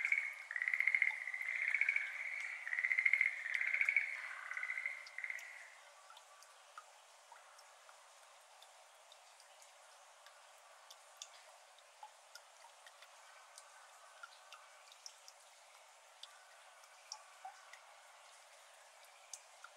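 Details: Schlegel's green tree frog, endemic to Japan, calling in a water-filled iris garden on a May evening at 6:53 pm, 17 May 2022, recorded binaurally: rapid pulsed trills in several bursts, then quiet with only falling water drops.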